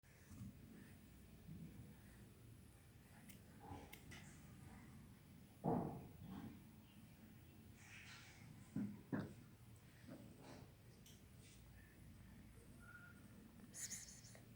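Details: Domestic cat sneezing indoors in a small room: a sharp, breathy burst near six seconds, with further short snorting puffs around nine seconds and faint clicks and rustles between.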